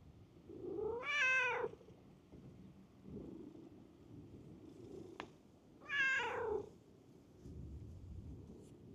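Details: Stray park cat that runs up when it sees a familiar face, giving two loud, bright meows about five seconds apart, each rising then falling, with soft quieter sounds and a faint click between.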